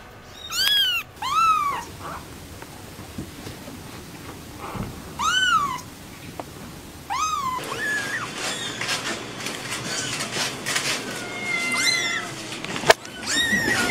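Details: Pet cat meowing in short, arched calls, several spaced over the first seven seconds, followed by a busy stretch of rustling and clattering household noise with a few fainter meows.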